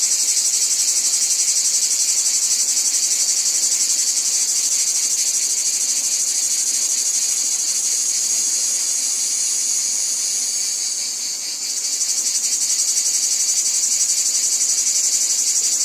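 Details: Cicadas from a wheat field make a bright, high, hissing drone with fast regular pulsing, fading slightly for a moment before the chorus resumes at full strength.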